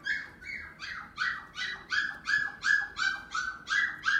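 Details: Yorkshire Terrier in a pet shop giving a steady run of high, sharp yaps, about eleven in four seconds, evenly spaced, each a short nasal bark.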